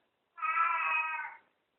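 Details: Pet cat Katy calls a greeting after she wakes: a single sustained meow, steady and clear with many harmonics, rising slightly at onset and fading at the end, indoors.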